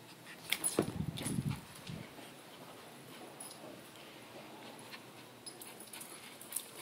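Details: Boston terrier chasing a ball indoors: a short, low, rough grunting burst around the first and second seconds, then quiet room noise with faint clicks and taps for the rest.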